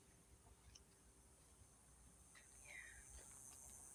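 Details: Evening chorus of cicadas at sunset in Yuma, heard as a continuous high, thin buzzing drone. One short descending whistled note cuts in briefly toward the end.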